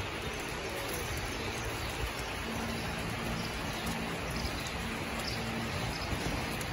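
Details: Steady broadband hiss like rain falling on a surface, with low rumble and no animal voices.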